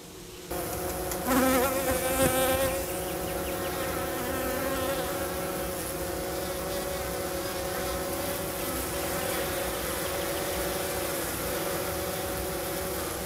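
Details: Hygienic honey bees in Minnesota dropping dead bees on the ground in front of the hive in March; a sharp onset into loud close buzzing that settles into a steady collective hum.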